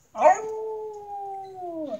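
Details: Cairn terrier playing keep-up with a balloon: a sharp onset, then a long, steady, slightly falling howl-like whine lasting about a second and a half, ending with a brief upward flick.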